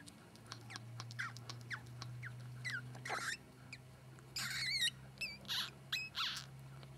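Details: Newborn ferret (Mustela furo) kits, sable-coloured, just born during their mother's delivery, give thin, high squeaks, some bending up or down in pitch, over a steady low hum.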